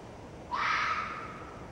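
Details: Female red fox scream: one sudden, rasping shriek with a sharp upward onset and a hoarse, sustained body that fades gradually over about a second, over faint outdoor hiss.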